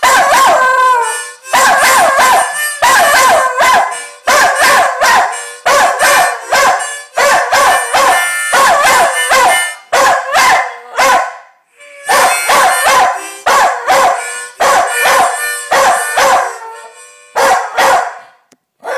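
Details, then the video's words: Jack Russell Terrier howling to be allowed to watch his favourite television show: loud, wavering, high yodelling howls and yips in short repeated bursts, some rising and falling, with brief pauses between phrases. "Jack Russell sings "I WANNA WATCH MY ANIMAL PLANET!""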